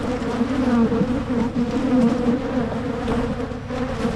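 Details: Hive of honey bees in Michigan during splitting to head off swarming, giving a continuous, thick buzz with a low steady drone and a fainter upper layer, wavering gently in strength throughout.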